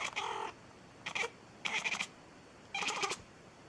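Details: Domestic cat making strange sounds: four short, high, chirping bursts, each under half a second, spaced irregularly, with a person speaking to it nearby.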